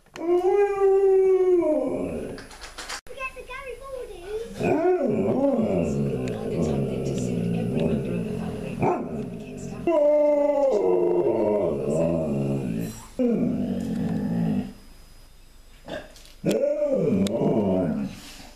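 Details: An Alaskan Malamute howls and woos at its owner in long, wavering, rising-and-falling vocal bursts.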